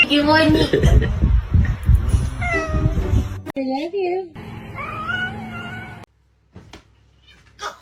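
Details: Domestic cat meowing in several drawn-out, rising and falling wails, each with rich harmonics, heard between and under a person's cheerful talking; short pauses separate the calls near the end.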